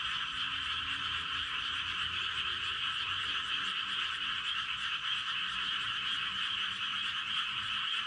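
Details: A dense night chorus of frogs in a rice field in Gapyeong, Korea, at 11:19 pm: a steady wall of overlapping trilling croaks.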